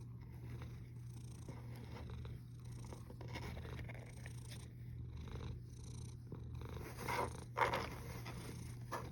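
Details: Low rumbling snore from a cat, 1 August 2021 at 13:27, holding steady before a brief louder rustling burst about seven and a half seconds in.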